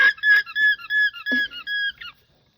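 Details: An alpaca (Vicugna pacos) gives a loud, shrill, siren-like alarm call of rapid squealing pulses, alerting the herd to danger while farmers are out giving the animals injections.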